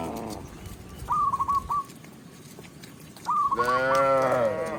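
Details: Tame cow heard while a shepherd leads the herd back to the pen in a village; a single deep moo rises at the end after two bursts of quick repeated chirps over background rustling.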